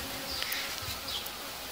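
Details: Honey bees buzzing at a beekeeper's hives in early summer, just after the solstice, as the queens are being isolated into small helper colonies; a steady, diffuse hum of many bees with faint brief ticks.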